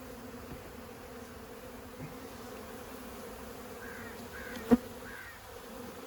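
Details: Steady humming drone of a honey bee colony being extracted from a house wall after 15 years, holding an even pitch with a faint overtone, a sharp knock or tap near the end and a few faint chirps.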